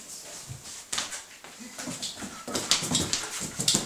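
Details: Hungarian Vizsla named Afron playing with a pillow indoors; soft whimpers and small yips among rustling and thumps of play, growing louder in brief bursts toward the end.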